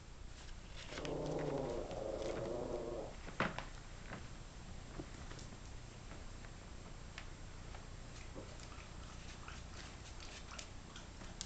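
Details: Yorkshire Terrier puppies, 32 days old, indoors: a drawn-out, harmonic whining grumble lasting about two seconds, followed by rustling and light scratching.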